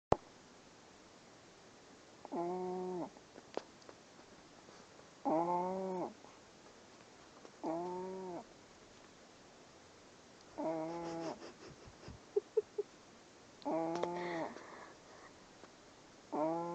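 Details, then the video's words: Loud snoring of a sleeping puppy: tonal, nasal, slightly wavering drones about a second long, recurring roughly every three seconds in a quiet indoor room, with a few faint clicks between breaths. "The Loudest Puppy snore"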